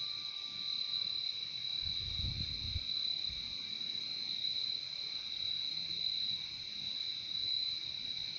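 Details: Crickets in a nature recording: an unbroken high, ringing trill continues throughout, while a brief low rumble or thump enters about two seconds in and fades soon after.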